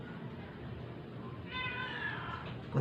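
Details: A rescued stray cat, ill and being force-fed, gives one drawn-out, strained meow over a low steady hum, ending in a sudden handling noise.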